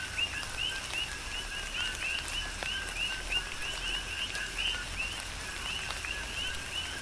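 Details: Chorus of coqui frogs calling through tropical rain on Hawaii's Big Island. Rapid, overlapping two-part whistles, each rising sharply on the second note, keep up a continuous pulse over soft rain noise and occasional drips.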